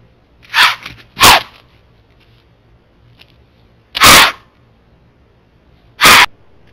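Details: Wild white-tailed doe in Florida, caught on trail cameras, blowing and stomping to warn other deer and ward off a creeping bobcat: four loud breathy snorts, a close pair near the start, then two single blasts about two seconds apart.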